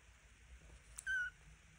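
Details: Two-week-old Devon Rex kitten, one of a pair, gives a single short, thin, high-pitched mew held at a steady pitch, preceded by a soft click, over a faint low background hum.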